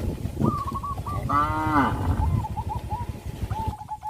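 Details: Cow on a traditional village farm, led to the rice fields after the harvest season, gives one short harmonic moo midway. Rows of quick repeated hooked notes from other animals run before and after it, over low rumbling background noise.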